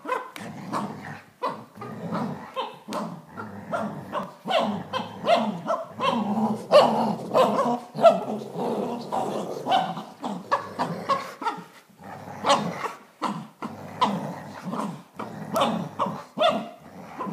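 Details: Dachshund and Greater Swiss Mountain Dog, Bailey and Mac, in a tug of war fight: continuous rough growling with sharp irregular barks and snarls bursting out every second or so, building to a busier tangle midway.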